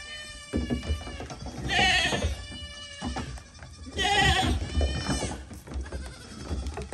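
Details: Goats clambering over a little dinghy, their hooves striking the surface. Two strong, drawn-out nasal bleats about two seconds apart stand over low thumping and knocking.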